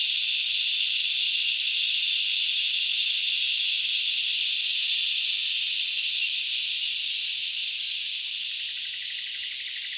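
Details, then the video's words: Loud, continuous droning chorus of cicadas in summer Australian bushland, a steady high hiss that eases slightly toward the end, with faint brief pulses above it. "Cicada sounds - The loud calls of cicadas in the Australian bush in summer"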